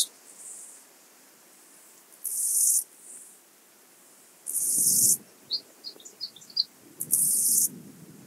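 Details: Illmitz, Austria, 21 July 2021: a two-coloured grasshopper produces half-second hissing buzzes about every two to three seconds. Soft rustling noise and a cluster of faint, higher chirps between bursts accompany it.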